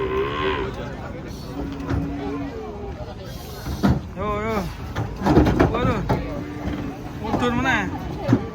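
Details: Giant cattle being unloaded from a truck, several short moos with wavering harmonics spread across the recording, overlapping with people's voices and the low rumble of a vehicle engine.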